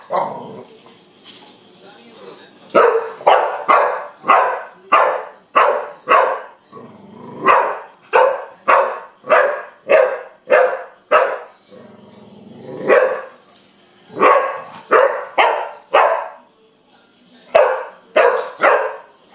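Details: Kenya, a young Pit Bull, barks at a wind-up bug: a long run of steady, punchy barks roughly every half second, pausing briefly near the middle before resuming, with a faint background hiss.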